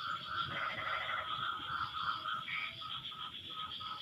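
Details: After the rain stops, frogs call together in a dense chorus of steady, pulsing trills that overlap and answer one another.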